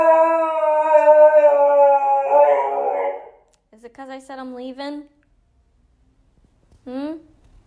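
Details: Siberian Husky screaming as if for help indoors in a small room: a long sustained harmonic howl for about three seconds, then shorter wavering yelps, a rising-falling cry near the end, with a woman's soft vocalising nearby.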